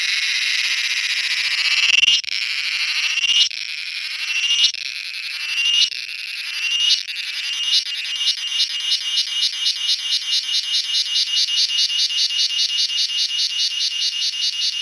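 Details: Cicada calling in a garden in the evening, found resting on a mango tree and later on a coconut tree; loud high buzzing broken by short gaps every second or two, then turning into a rapid, even pulsing train.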